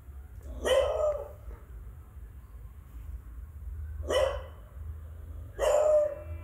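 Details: An adult beagle gives three loud, gruff, explosive barks with a rough edge at uneven gaps of two to three seconds, scaring a beagle puppy; a low hum runs underneath and a person softly says it's okay.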